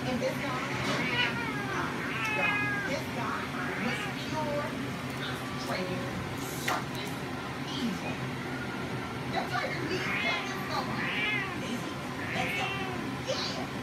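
A female Ragdoll cat in heat calls with repeated drawn-out, wavering meows.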